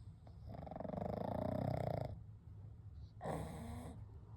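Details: Three pugs, Kou, Gen and Shun, sleeping together at night; a long rasping snore over about a second and a half, a pause, then a shorter breathy exhale, low and rumbling.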